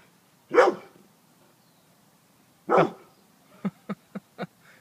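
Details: Excited dog barking like crazy as it smells something during a hunt for a rat: two loud, harsh barks about two seconds apart, then four quick, short, softer yaps in rapid succession.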